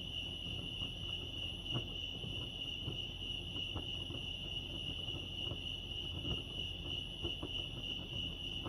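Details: At Lake Arrowhead in California, crickets keep up a continuous, even, shrill trill that never pauses, set against low ambient rumble and a few faint ticking sounds.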